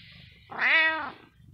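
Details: Single loud meow from a domestic cat, rising slightly then holding and fading over about half a second, clear and tonal, with a short sharp click at the very end and low background hum.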